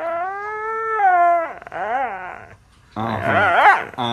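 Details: Husky howling: a steady, level tone held for about a second and a half, then wavering, rising-and-falling yodel-like vocalizations, a short pause, and a louder burst of warbling howls.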